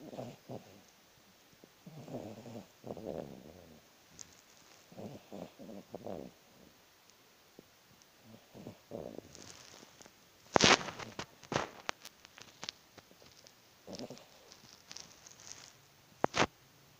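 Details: Miniature Pinscher sleeping with eyes open and tongue sticking out, snoring in soft, low rasping breaths repeated every second or two, with a few louder sharp clicks and rustles near the end.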